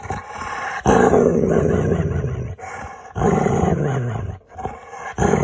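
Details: Playful pet dog vocalizing during games with its owner: long, rough, growly, grumbling sounds in two extended stretches with a brief pause, recorded indoors.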